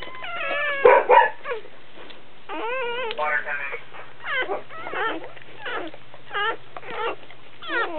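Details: Newborn Dobermann puppies during a birth give rapid, wavering, high-pitched whines and squeaks, several per second, with a loud yelp early on; a steady low hum runs beneath.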